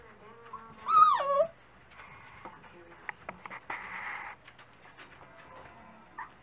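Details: At breakfast time a Dachshund puppy gives one strong, drawn-out whine that rises and then drops sharply. Quiet rustling and a brief fainter whimper follow.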